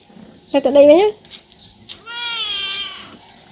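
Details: Talkative cat wanting its owner to play with him, uttering a short bending meow followed by a longer, steady, higher-pitched drawn-out call in a quiet indoor setting.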